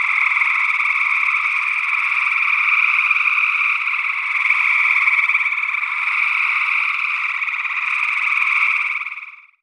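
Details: Chorus of gray tree frogs in early June 2022, Northwest Wisconsin, via a matched sE8 ORTF pair: steady, thick trilling from many frogs continues unbroken, then fades out quickly at the very end.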